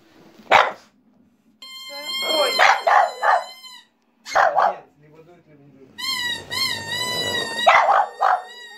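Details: A female French Bulldog "sings" along to a reedy pipe played by her owner, throwing her head back and stretching her neck, giving short, sharp barks and yips in bursts over wavering tones.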